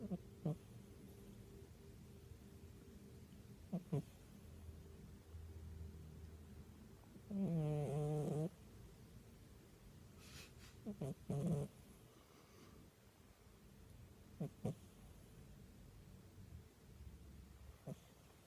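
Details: Domestic cat fast asleep and snoring: one loud, buzzy, rattling snore lasting about a second midway, with a few faint soft clicks and breaths around it in a quiet room.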